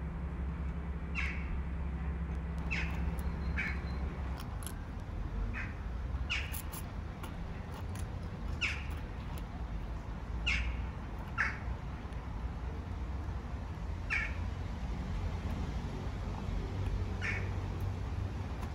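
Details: Street kitten in Istanbul mewing for its mother cat. Faint, short, high cries return every one to two seconds throughout, against a steady low background rumble.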